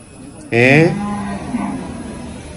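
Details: Cattle at Chattipparamba cattle market in Malappuram district, Kerala: one loud, low, harmonic moo lasting under a second, then a fainter trailing tone, with market murmur and a man talking in the background.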